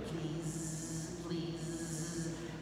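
A bee's steady, low droning buzz holds one pitch with only slight wavering, over a soft airy hiss.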